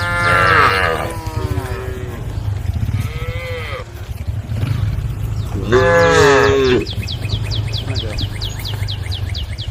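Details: Herd of cows roaming along a road, calling the herd: two or three drawn-out harmonic moos, the last one loud and wavering, over steady low rumbling background noise, followed by a rapid high ticking chirp train.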